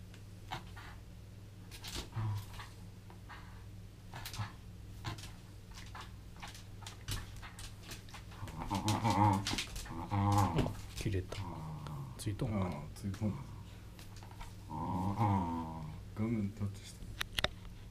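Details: Welsh terrier tugging a rope indoors; quiet knocks at first, then rough, wavering growls in short bursts through the second half, with a steady low hum behind.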